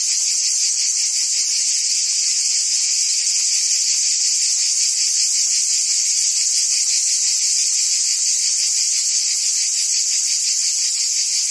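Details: Cicada chorus on a summer day in Provence, France: an unbroken, loud, high-pitched rasping drone with a rapid regular pulse. No other sounds stand out.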